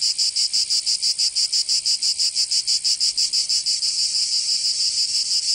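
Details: Cicadas in summer heat of Provence, southern France: rhythmic high rasping pulses about three per second that merge into a smoother unbroken buzz toward the end.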